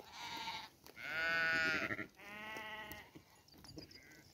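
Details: Sheep giving three long, quavering bleats, the middle one loudest and lasting about a second, then fainter bleats trailing off amid low background noise.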